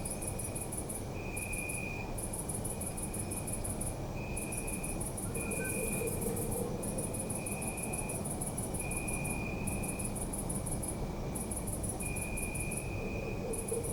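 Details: Crickets chirping at night in a city park, recorded on a Zoom F3: a dense, very high pulsed trill in bursts with brief gaps, over a steady lower trill, with constant low urban rumble beneath.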